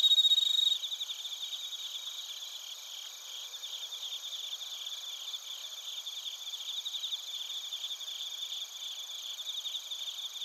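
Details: Crickets, including bell crickets, chirp in Narita, Chiba, Japan, recorded with a TASCAM Portacapture X8. A brief loud burst opens the recording, then a dense, continuous, high-pitched chorus of overlapping trills wavers in rapid pulses, close to four per second.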